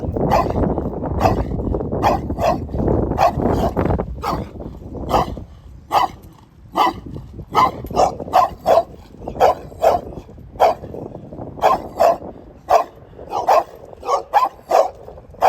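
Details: Dog barking, early part masked by heavy low rumbling noise, then clear sharp barks spaced roughly every second against a quieter background.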